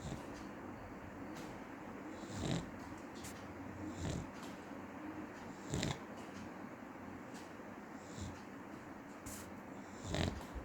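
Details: Snoring from a sleeping dog: deep, rattling breaths come roughly every two seconds, some louder than others, against a low steady hiss.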